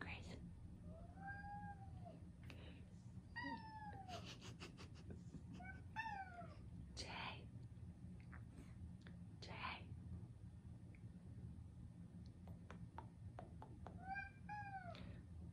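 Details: An 11-year-old blue lynx mitted male Ragdoll cat, who rarely meows, gives thin, high, mouse-like squeaky meows when very hungry and his dinner is late, around 7:45 in the evening.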